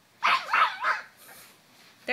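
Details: A 9-week-old French Bulldog-Pug mix puppy, playing while moving around inside a pillow slip, lets out three quick, short, high-pitched yappy barks, then a fourth sharp bark after a brief quiet gap.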